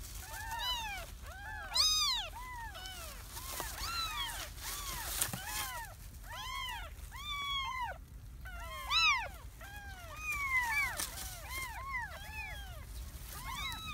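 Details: Three stray kittens in a garden keep up a dense chorus of thin, rising-and-falling mews, many overlapping voices, with clicks and faint background noise.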